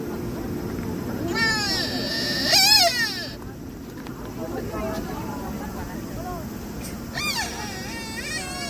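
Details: Deer at Nara calling with short high, harmonic, wavering cries that rise then fall, heard in three bursts over a steady background of traffic and crowd noise.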